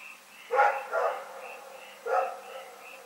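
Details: Rex, a dog, barking in the night in Pyrga, recorded February 27, 2018: three hoarse barks, two close together and one after a pause, over a steady high chirring chorus.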